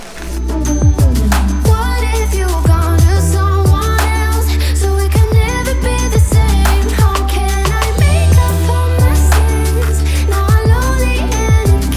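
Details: Only music is heard, a bass-heavy pop track with a steady beat and a voice, and no animal sounds. Deep bass dominates throughout, with short percussive hits and melodic lines above.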